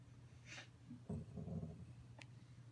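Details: Yellow Labrador Retriever named Sugar, a female, asleep indoors and dreaming, recorded on an iPhone: a soft breathy snort, then a muffled low huffing whimper lasting about half a second, fading to quiet breathing in a small room.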